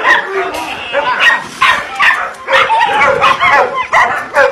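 Belgian Shepherd puppies yipping and whining in quick, uneven bursts, with voices mixed in.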